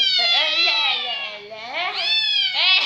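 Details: Cat that is quick to cry, its voice called funny: a continuous plaintive wail that sags in pitch mid-way, then swells again into a louder, rising, strained cry at the end.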